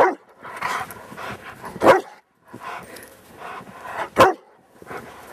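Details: A Rottweiler playing in the snow in Maryland on a Saturday afternoon, December 19, 2009, gives two sharp, loud barks amid softer, rough throaty vocal sounds.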